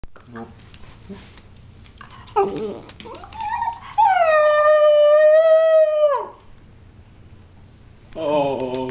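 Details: Schnauzer-Pinscher mix dog making funny sounds: short yelps, then a long sustained, steady, whining howl lasting about two seconds, followed by another rising whine after a pause; quiet indoor background.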